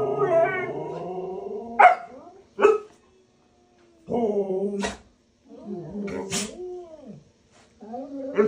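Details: A Siberian Husky, one of three talkative pet huskies including a puppy, 'talks' back in drawn-out, wavering woo-woo moans broken by short yips while being scolded for misbehaving.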